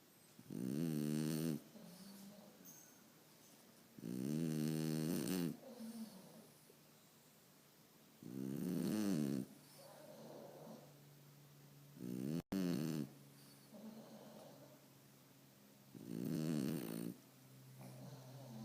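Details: French Bulldog snoring while asleep: loud rasping snores with strong harmonics, each lasting about one to one and a half seconds and coming roughly every four seconds, with quieter breathing between them in a still room.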